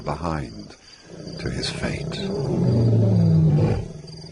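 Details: African lion in a pride, a deep, low rumbling roar swelling over the second half and holding steady before fading, opened by a brief voice and a short pause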